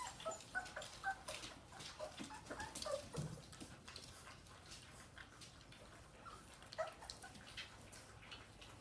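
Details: Dogue de Bordeaux puppies at their first weaning meal, giving short high squeaky whimpers in a cluster early on, then again near three and seven seconds, over broadband slurping and clicking feeding noises indoors.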